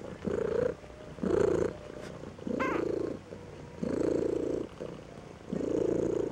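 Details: Two-week-old Maine Coon kitten at a cattery in Saint Petersburg, Russia, dissatisfied, giving low rough purring bursts about every second and a half, with one brief high squeak midway through.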